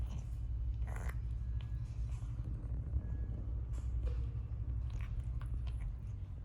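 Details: Domestic cat indoors during its daily grooming, making a steady low rumbling purr throughout, with soft licking and clicking sounds scattered over it in a small quiet room.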